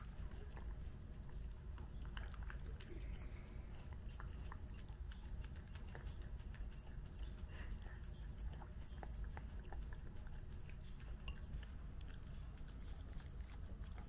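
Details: Nezuko, a one-year-old Mame Shiba, eats cake for the first time on her first birthday. Wet smacking and clicking chews sound almost continuously over a heavy low rumbling background noise.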